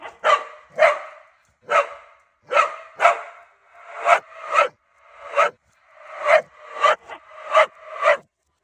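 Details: Two loud dogs, a corgi and a husky, barking: sharp, harsh barks in uneven pairs and singles, about fourteen across eight seconds, each a broad burst with short silent gaps between.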